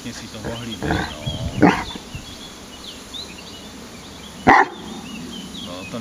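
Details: Leon, a pet Irish Wolfhound, complaining when something displeases him, uneasy about a metal object; soft harmonic whines early on, then one sharp, loud bark, with quiet human speech in the background.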